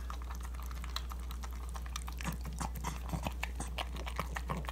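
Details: Niko, a female pug, devouring her ground beef breakfast indoors, filmed on an iPhone 7; a steady run of wet, snuffly chewing and low grunting noises with quick clicky bites scattered throughout.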